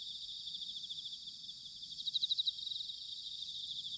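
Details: Autumn chorus of bell crickets recorded in Sanuki, Chiba Prefecture, Japan. A continuous shimmering high trill fills the background, and a closer singer adds a brief, louder, rapidly pulsed ringing phrase midway through.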